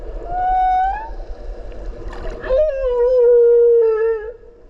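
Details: Whale recorded underwater off Okinawa while swimming alongside it: long tonal moaning notes, one steady then slightly rising, then a lower wavering tone with rich harmonics, separated by a brief burst of clicks and water noise.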